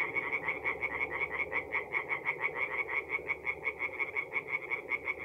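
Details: Night chorus of singing tree frogs at a forest pond, North-East Italy, mid April; quick repeated nasal croaks about three per second, evenly pulsed, with many frogs calling together in a continuous rhythmic rattle.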